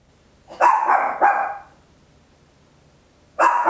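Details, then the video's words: Tiny Papillon dog at home barking very loud, recorded in stereo on an Olympus LS-11; a quick pair of sharp barks, a pause of nearly two seconds, then another bark begins. "Tiny Dog Barking Very Loud, Papillon"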